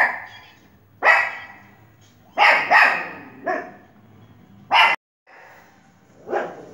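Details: Pomeranian barking as it watches television, giving single and paired sharp yaps at irregular gaps of one to two seconds, a low background hum beneath.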